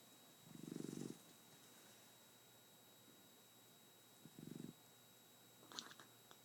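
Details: Nine-month-old Shar Pei asleep, snoring: two low rumbling snore bursts, the first longer around one second, the second shorter, with a faint clicky mouth sound near the end in a quiet room.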